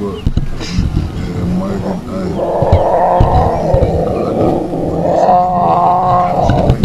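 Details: A lion cub, the last known remaining cub of the Ximhungwe Pride, whose legendary mother died from hyena-fight injuries, gives drawn-out, wavering mews in two long bursts over a vehicle's low rumble and brief human voices. Finding: Lion.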